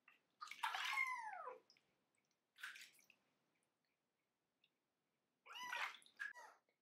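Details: A 25-day-old kitten at its first bath gives three loud, hoarse, barking cries, each rising then falling in pitch with a strong harmonic sweep, separated by short pauses, in an otherwise quiet room.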